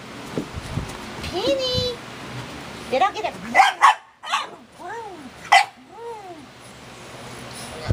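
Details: Pet dog 'talking' and barking at home: drawn-out whines that rise and fall in arcs, plus a few short yelps, mixed with a person talking and calling to the dog.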